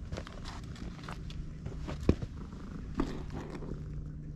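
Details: Purring from a stray cat being stroked on a Japanese cat island, filmed with a GoPro; a low, steady rumble runs throughout, broken by soft footsteps, crackles and a couple of sharp knocks.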